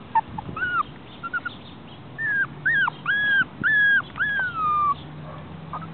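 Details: Chihuahua puppy whose voice is likened to a pig's: a string of about six high, nasal squeals, each arching up then dropping, spaced under a second apart, the last one drawn out and sliding downward.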